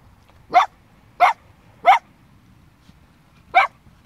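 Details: A blue roan or black-and-white Cocker Spaniel puppy gives short, sharp barks, four in quick succession with a brief pause before the last.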